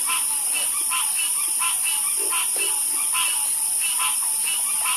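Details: Frog chorus of irregular bright croaks, a few deeper grunting notes mixed in, against an unbroken high hissing background.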